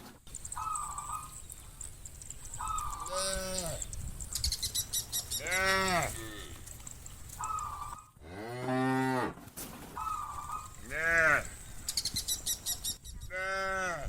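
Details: A herd of tame cows together in a wide field with green trees on a sunny day. Deep, arching moos come in bursts. Brief flat whistle-like tones and bursts of crackly hiss fall between the calls.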